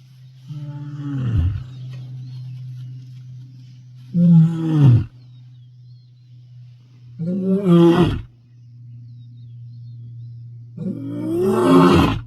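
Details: Wild male lion of the Bilashaka pride roaring to announce dominance in the Masai Mara, 22 May 2025: four long, deep, moaning roars, each swelling then dropping, spaced about three to four seconds apart over a steady low engine hum.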